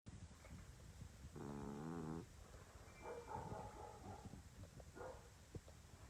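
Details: A sleeping English Bulldog snores with a deep, rattling, buzzy drone on a long breath.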